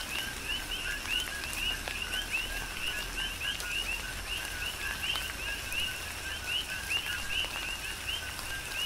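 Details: Rhythmic coqui frog chorus recorded in rain on the Big Island of Hawaii: bright upward-jumping double chirps from many frogs, closely spaced, layered over soft rain noise and falling drops.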